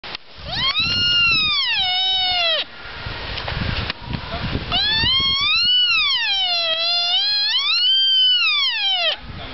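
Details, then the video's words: A sika deer at the Heimat-Tierpark Olderdissen near Bielefeld, Germany, gives long, rising-and-falling wailing calls, shrill and strongly tonal; Sika deer. "Sika deer making noise (a.k.a. Japanese deer)"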